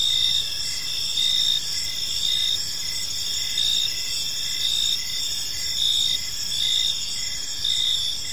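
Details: Crickets calling during evening in a park: dense high trilling bands merge into a continuous buzz while a lower chirp pulses in regular beats about once a second, light environmental noise underneath.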